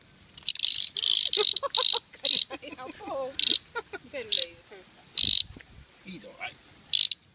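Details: Australian cicada being played with by a Scottish Terrier: loud, harsh buzzy bursts repeated about nine times in seven seconds, each under half a second, with a person talking between them.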